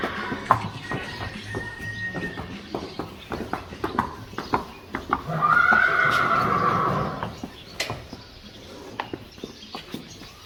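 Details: Friesian horse at a training stable in the Netherlands, where horses are prepared for inspection. A wavering, harmonic whinny lasts about two seconds, set among steady clip-clop hoofbeats on a hard floor with faint voices in the background.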